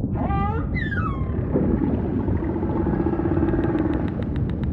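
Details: Humpback whale song: a wavering, harmonic moan sweeps up and down in quick ripples, then a descending whistle-like slide, fading into a low ocean rumble with faint rapid clicks toward the end.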